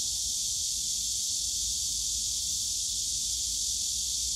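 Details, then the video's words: Continuous shrill hiss of a cicada chorus from the bamboo forest at Yongsan Family Park in summer, even and unwavering throughout, with soft low background murmur from the park. "용산가족공원 대나무숲 매미소리"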